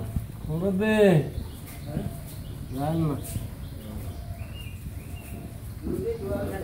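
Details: Friesian cow, now in her second lactation, kept with her heifer calf on a dairy farm; two arching, harmonic moos about two seconds apart, with low voices and faint farmyard noise between them.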